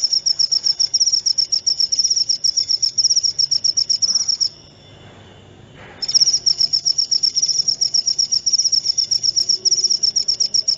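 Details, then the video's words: Cricket chirping, recorded for relaxation and sleep: a steady high-pitched trill of rapid pulsed chirps, about four per second, pausing for a second and a half near the middle before resuming, over a faint low background hum. "Suara Jangkrik"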